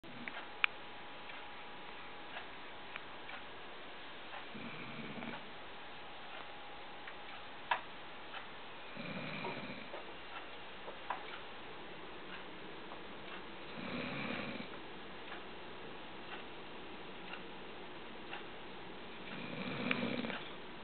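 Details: Sophie, a Labrador mix, snoring indoors: soft, low rasping breaths swell roughly every five seconds, with faint ticking clicks running underneath throughout.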